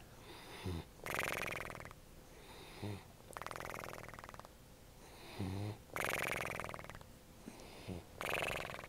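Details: French Bulldog gone back to bed in the morning, snoring in a strange, unearthly way: harsh, rasping, pulsed snores about every two to three seconds, each led by a short low honk, in a quiet bedroom.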